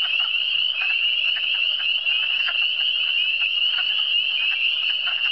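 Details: Frogs calling in the Eastern Townships: a dense, steady high-pitched chorus of overlapping shrill trills that runs unbroken throughout, with fainter lower chirps scattered beneath.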